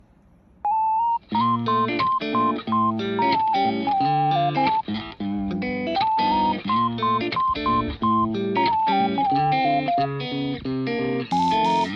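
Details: Electric guitar music plays loudly throughout, with a plucked melody over steady strummed chords.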